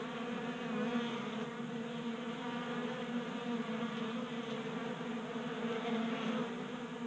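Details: Several honey bees feast at a table-top 3D printed feeder in a Colorado garage in January warmth; a continuous droning hum with layered harmonic tones, swelling slightly near the start.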